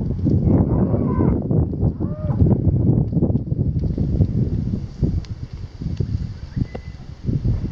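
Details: Cattle lowing: a few short moos with bending harmonics sound in the first three seconds, then fade into steady low rumbling, knocking and shuffling noise for the rest of the recording.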